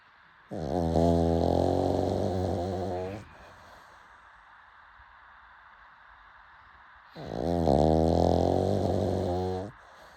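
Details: Pug snoring late at night: two loud, rasping, harmonic snores of nearly three seconds each, separated by about four seconds of quiet breathing.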